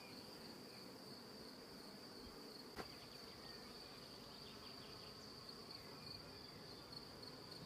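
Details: Colony of bees in a transparent hive, seemingly queenless, building comb directly on the hive wall and wooden angles. A constant low-mid buzzing drone with a steady high whine and one brief sharp click.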